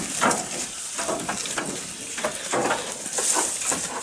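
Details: Goat eating, recorded close up: quick crunchy bites and rustles of chewing come in a steady rhythm about every third of a second, over a constant background hiss.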